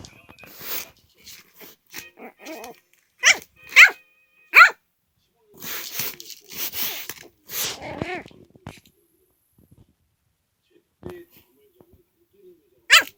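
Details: Three-month-old teething puppy, mouthing, indoors: scattered high yips, short barks and whiny cries come in irregular bursts, with a person speaking softly in between.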